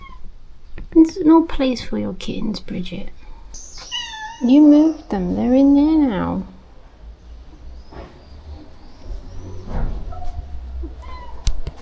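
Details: Feeding time for over thirty rescue cats at a shelter; two long, loud, bending meows stand out after a stretch of quick human talk, followed by quieter rustling and faint background noise.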